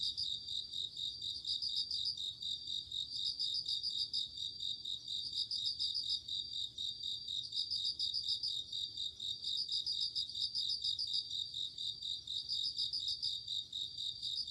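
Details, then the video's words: Night-time cricket chorus in autumn: unbroken high tinkling drone with repeated short bursts of rapid pulsed chirps roughly every one and a half seconds, no other sounds. "鈴虫 夜の虫 虫が鳴く夜の雰囲気 コオロギ 秋"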